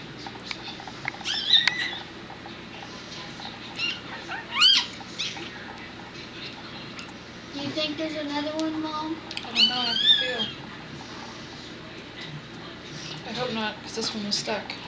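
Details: Miniature dachshund birth at home on Sunday evening, April 19, 2009, the fifth and last puppy, stuck and pulled out, then swung to clear fluid from its lungs: thin, high, rising squeals at intervals, with human voices murmuring between them.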